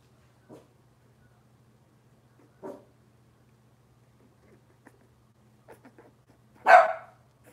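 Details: Cavalier King Charles Spaniel puppies from Robin's litter, indoors in a kitchen: faint scattered yips and squeaks, then one loud sharp puppy bark near the end over a low steady hum.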